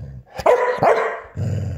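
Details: A female Border Collie showing off to her own reflection, 8 January 2024: two sharp, tonal barks close together, followed by a low rumbling growl and faint background music.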